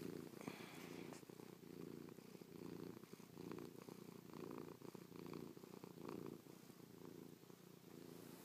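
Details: Chloe, a pet cat, purrs while pressed close after sleeping on her owner's back all night, kissing, pawing and licking the owner's face; a low, rumbling purr pulses in steady waves, about one per second, indoors.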